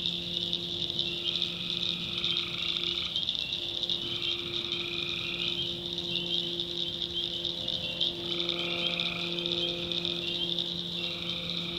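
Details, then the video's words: Tree frogs calling after dark in the North Carolina backwoods: a repeated, harsh, even-pitched buzz of about a second, heard roughly every three seconds, set against a dense, steady, shrill night chorus. "Relaxing Swamp Sounds at Night - Frog Heaven - Frogs, Crickets, Forest Nature Sounds"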